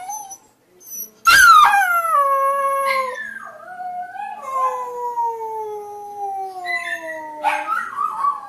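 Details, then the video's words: Puppies learning to howl: after a short yip, a young dog gives long, clear, tonal howls that slide slowly downward, with one drawn-out falling howl and a brief rising squeak near the end. "Puppies Learning to Howl"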